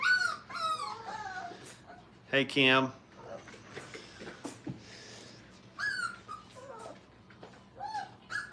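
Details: Brittany puppies, five weeks old, at a kennel: scattered short, high whines and yelps rise and fall between pauses, over soft human speech and a quiet room.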